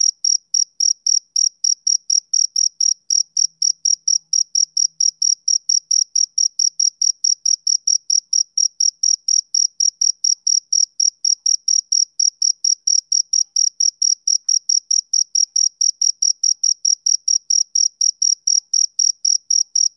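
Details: Steady chirping from a male cricket on a summer evening. Sharp, high pulses come about four each second in an unbroken, metronome-like series with no other sounds.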